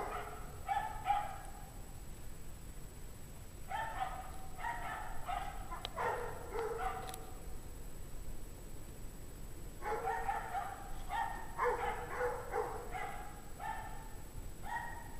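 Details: A pack of unhappy dogs barks at 5:00 PM on January 9, 2009, in 17 degrees Fahrenheit cold. Far-off, harmonic barks come in two long volleys of repeated yaps with a short lull between, over constant low-frequency background rumble.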